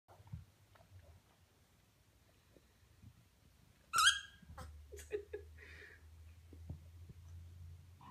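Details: A baby prairie dog pup kept as a pet lets out one tiny, sharp squeaky yip with a quick rising tone midway through. A few fainter squeaks and soft rustles follow in a quiet indoor room.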